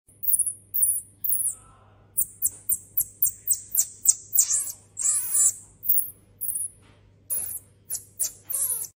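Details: A pet pygmy marmoset calls in thin, piercing, very high-pitched chirps and short trills, several a second in uneven bursts. A few lower, wavering squeaks mix in over a faint, steady hum.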